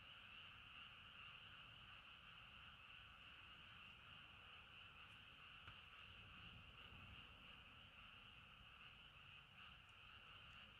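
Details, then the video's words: Frogs calling at night beside a river at a campsite in Sapporo, Hokkaido, Japan; a steady, unbroken chorus with bright continuous bands high and mid pitch, dense and even throughout, over soft low rumble. "Falling Asleep to Frog Songs"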